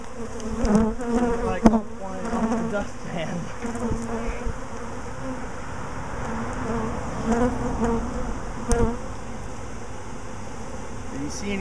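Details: Swarming honey bees, swarming again a week after an earlier swarm: a steady, low droning buzz fills the recording throughout, with excited human voices breaking in now and then over the hum.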